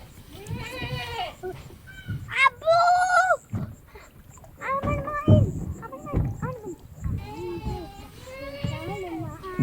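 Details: Goats kept on a Padma River sandbar farm in rural Bangladesh, including the doe Queen and her two kids; a series of short, shaky, nasal bleats in irregular bursts, mixed with people talking nearby.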